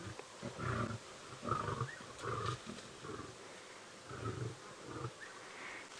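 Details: At sunrise on 25 November 2016 at Djuma Game Reserve, a limping, bite-wounded male lion growls grumpily as a lioness greets him, deep rough rumbling bursts about a second apart, with faint outdoor background noise.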